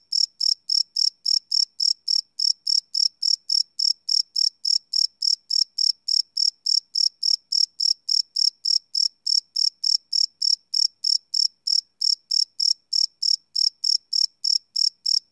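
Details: Crickets at night recorded live on a Sony PCM D100 field recorder, giving a long unbroken series of bright, high chirps, about three to four each second, perfectly steady and alone.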